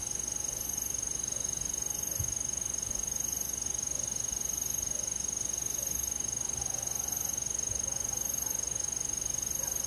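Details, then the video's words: Summer-night forest crickets: a bright sustained high trill pulsing steadily about four times a second, with a separate higher chirp burst recurring roughly every second and a half, plus a faint low hum. "잠이 잘오는 여름밤 잔잔한 풀벌레소리"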